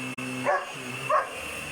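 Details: Seven-month-old German Shepherd puppy barking at a loud vacuum cleaner indoors: two short yappy barks half a second apart over the steady droning hum of the machine.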